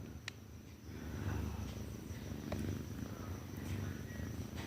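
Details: Mufasa, a pet cat called the Cat King, responding during a cute conversation with its owner; a soft, steady, low rumbling purr pulses continuously through the clip, with faint clicks and a woman's nearby speech in Telugu.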